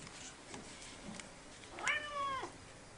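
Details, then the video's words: An orange pet cat meows at the household rescue dog, trying to win its attention: one clear, slightly falling meow of about half a second, preceded by faint rustling in a quiet room. "Meow, I love you!"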